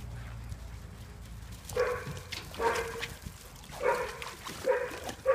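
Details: Dog recorded on 31 August 2015 barking five times in an uneven series, short harmonic woofs roughly a second apart, over a faint low hum.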